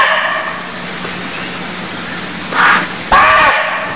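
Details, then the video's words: Deer from Cambodia: after a hushed, hissing stretch, a softer hoarse note rises, then one sharp, loud, grating bark closes the short recording. "Cambodia Sound Deer Calls || សម្លេងសត្វឈ្លូសស្រែក"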